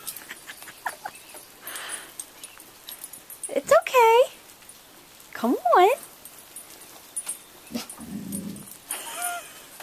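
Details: Roxy the chocolate Lab, frightened by roofing materials in the driveway, makes two loud, rising-then-falling whining yelps a couple of seconds apart, mixed with a person's soothing talk and some rustling.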